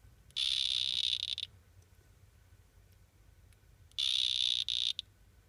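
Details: Male Excidobates mysteriosus, one of three males: two buzzy, high-pitched trilled calls, each about a second long, separated by a pause of roughly two and a half seconds, over faint low hum.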